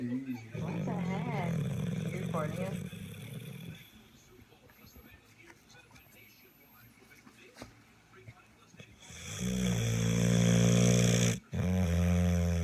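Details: Pit bull named Marlo asleep and snoring loudly, likened to an old man; deep low rumbling snores with strong harmonics in bursts at the start and end, a quiet gap between, speech nearby.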